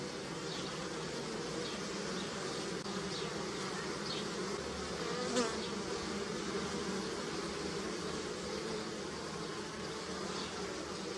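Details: Many bees on flowering willow in early spring in Europe make a dense, unbroken buzz, a low droning hum with overlapping wingbeat tones, while a few faint, high chirps from small birds come through briefly.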